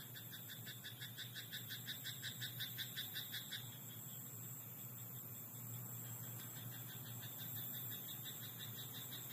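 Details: At night in a rice paddy, a frog delivers a rapid series of harsh pulsed croaks for the first four seconds, growing louder before ending; afterwards only a steady high whine and soft low rumble remain.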